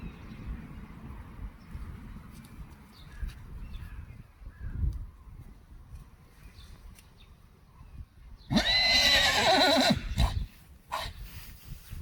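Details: Friesian horses being brought in from the herd, one of them lame: a loud, shrill, quavering whinny bursts out for about a second and a half after quiet shuffling and rustling, followed by a few knocks.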